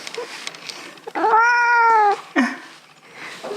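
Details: Indoor Russian Blue cat protesting fiercely while its claws are clipped, giving one long drawn-out harmonic meow that dips slightly, then a short lower yowl, with a person talking and laughing.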